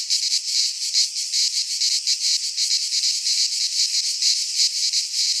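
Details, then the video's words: Cicadas of Greece singing in a pine forest in midsummer: an intense high-pitched rattling buzz, pulsing quickly and continuously, with nothing else audible. "Cicadas singing in midsummer - Nature sounds from the Greek fauna - Sounds of cicadas"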